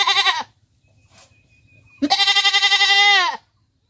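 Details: Domestic goat bleating: a brief nasal bleat, then after a pause a longer wavering bleat of about 1.4 seconds with a pulsing, quavering tone, set against quiet background.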